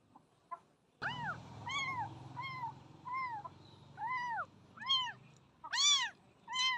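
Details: Young kitten, too small to eat on its own, brought home from a nearby jungle and being fed milk with a feeder bottle, gives about eight clear, arched, harmonic meows, each roughly a second apart, rising then falling.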